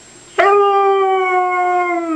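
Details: Pet dog 'talking' to its owner, starting abruptly with a sustained, clear, level howl that holds its pitch for nearly two seconds, with a faint high steady tone in the background.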